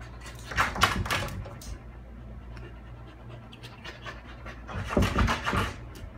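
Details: Dogs at the vet: a Tibetan Terrier and Lhasa Apso mix and a Labradoodle. Quick, breathy panting comes in two bursts, near the start and again toward the end, over a steady low indoor hum with faint scratching.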